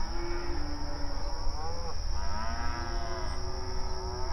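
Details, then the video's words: Open range cattle on pasture, one low steady moo giving way to a rising, swelling call from another animal, overlapping harmonics over a persistent low rumble and faint high hiss. "Outdoor Pasture Cattle Grazing Sounds"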